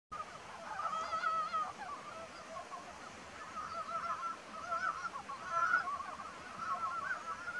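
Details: Ezo brown frogs calling in April, a seasonal sound described as strange: throaty, duck-like clucking notes in short overlapping bursts, repeated steadily through the chorus, with a faint hiss of background noise.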